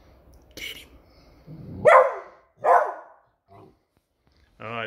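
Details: A beagle on alert over a new squeaky toy gives two loud, rough barks about a second apart; it keeps barking until the toy is put away, with a person talking near the end.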